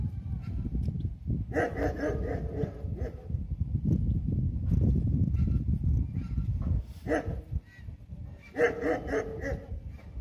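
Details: German Shepherd puppies, ten pups nursing from their mother, who has only eight teats, give short, high, nasal whines and squeals over steady low rustling and shuffling.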